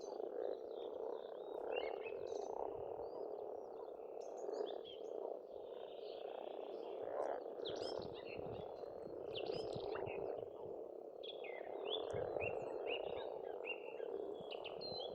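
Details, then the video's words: Spring pond frogs on a farmstead in Estonia keep up a constant rolling chorus of croaks that swells and eases, mixed with plenty of varied birdsong, chirps and trills overhead. "Расслабляющее пение птиц и лягушек"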